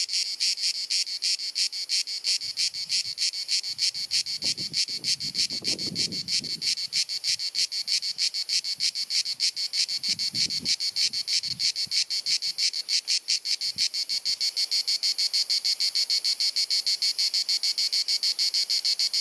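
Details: Cicadas singing on a hot sunny summer afternoon in Dalmatia, Croatia, recorded on a compact camera: an incessant, penetrating buzzing chirr pulsing about three times a second, with brief low rustling sounds in the background.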